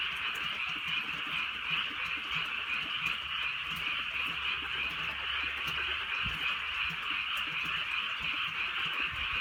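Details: Rainy countryside night with a frog chorus: rapid croaks from many frogs fused into a continuous high rasping hum, light patter of drizzle and a couple of low thuds beneath.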